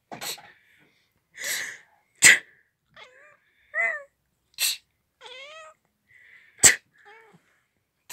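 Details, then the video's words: Domestic cat meowing each time a person sneezes: sharp, explosive sneezes alternate with short, falling, harmonic meows, about three meows over eight seconds, each following a sneeze, indoors with little other noise. "Кот мяукает когда кто-то чихает"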